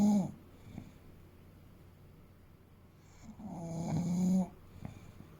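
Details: Asleep, the eight-year-old male English Bulldog Fuku, around 30 kg, ends one snore, pauses about three seconds with quiet breathing, then lets out a swelling, raspy snore lasting about a second.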